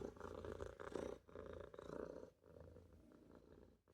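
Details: A Maine Coon kitten named Olof purrs softly while dozing in a sink; the rumble comes in uneven breathy waves, fading quieter in the second half.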